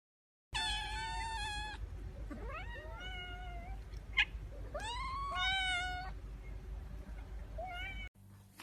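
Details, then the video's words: Several kittens meowing over a steady background hum, with long flat meows, rising upward-sweeping cries and overlapping high calls, one sharp click in the middle. "KITTEN SOUND EFFECTS | More than 50 kittens Meow Compilation part 1"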